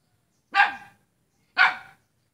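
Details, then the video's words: A dog barking at its own neighbour on Jalan Kolonel Sugiono, Selat, Kapuas, Central Kalimantan, Indonesia, recorded Saturday 5 August 2017; two short, sharp barks about a second apart, with quiet between them. "Seekor anjing menggonggong pada tetangganya sendiri"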